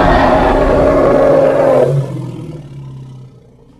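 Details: Harsh, full-throated roar from a hippopotamus in Congo, loud for about two seconds before falling into a low, humming rumble that slowly dies out.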